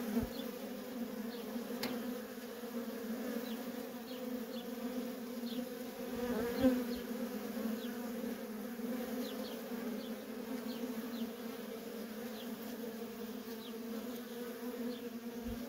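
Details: Worker honey bees in nonstop traffic at a feral colony give a steady, dense, low droning hum that holds evenly throughout, with a brief louder swell near the middle as a bee passes close.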